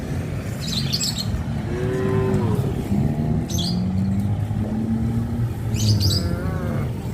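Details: Tame cows on a traditional village farm, where they also roam the highway: a long low moo with a slightly rising, wavering tone around two seconds, deep lowing continuing underneath, with brief bird chirps overhead.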